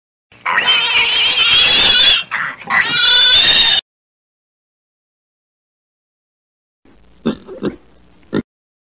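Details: A pig gives two long, shrill, harsh squeals, then a few short grunts.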